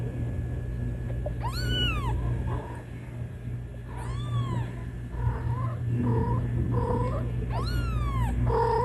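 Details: Kitten calling for its mother cat with three loud, drawn-out rising-falling meows, interspersed with softer, lower short mews, against a constant low background hum.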